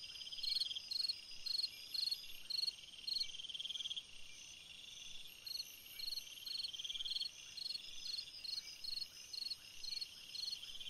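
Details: Summer-night cricket song: regular trains of bright, pulsed chirps repeating about twice per second, overlapping a lower continuous trill from other insects and a faint steady background drone.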